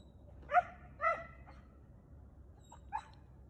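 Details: A Chow Chow in a standoff with a squirrel in a park gives two sharp, ringing barks half a second apart, then a softer third bark.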